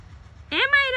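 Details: Maira, a cat up in a tree, gives a single drawn-out meow that rises and then holds steady, with a short break in the middle; faint low rumble underneath.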